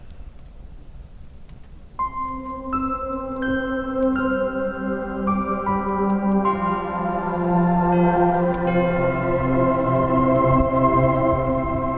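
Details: Soft ambient music of layered, ringing bell-like tones that build up and sustain, with no animal sound.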